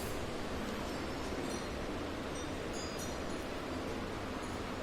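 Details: Steady broadband hiss and rumble throughout, with no animal voice audible.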